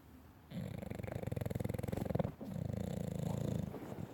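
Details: Dog sleeping indoors, snoring with a buzzing, rapidly pulsed rattle: two long snore breaths, the first nearly two seconds, the second slightly softer, with a brief break between.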